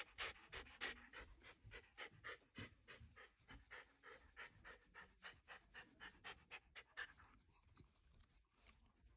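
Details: Ranmaru, a pet Shiba Inu, watches relatives head home after a memorial service held in the house. Fast, steady huffing breaths, over three a second, each a short airy rasp, slowing and softening toward the end.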